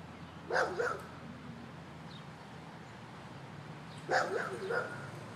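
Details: Domestic dog barks at a man near a swing set: two quick double barks, one pair near the start and another about three and a half seconds later, with a faint low hum between them.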